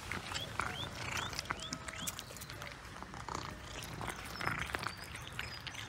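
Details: Close-up of cats savouring fresh sprat: steady crunchy chewing and smacking transients, while short rising bird chirps repeat in the background.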